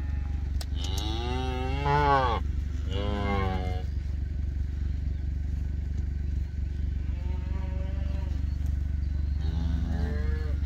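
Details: Black Hereford calf calling loudly while held on a calf scale for weighing; a long rising-then-falling harmonic bawl, a shorter second one, then softer moos near the end, over a constant low engine hum.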